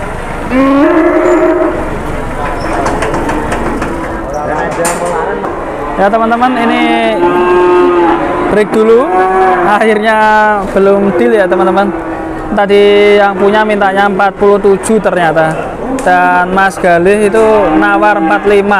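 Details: Giant cattle arriving at Jelok market in Boyolali, Indonesia, stirring up the crowd. Long drawn-out moos, some rising and falling, are heard repeatedly over busy market chatter and human voices.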